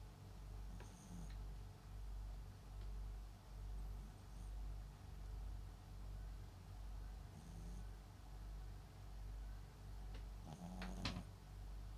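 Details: A sleeping Papillon × Japanese Chin mix dog named MAX snores indoors in a slow, soft rhythm of low breaths, a faint nasal whine rising on two of them, with a few sharp clicks and knocks between.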